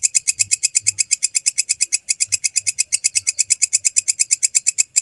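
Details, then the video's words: Rapid, regular rasping ticks from a walang kecek grasshopper, recorded clear as master material for songbirds, run steadily nearly the whole time, with only faint low thumps beneath. "MASTERAN BELALANG KECEK SUARA JERNIH"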